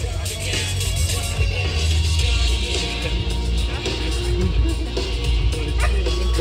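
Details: Loud hip hop music with singing and a heavy bass beat fills the whole stretch; no animal is heard.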